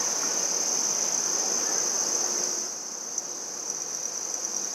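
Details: Red-headed bush cricket (handsome trig) recorded in Maynard, Massachusetts, 14 September 2019, giving a steady high-pitched ringing trill that softens slightly midway, over a low background hiss.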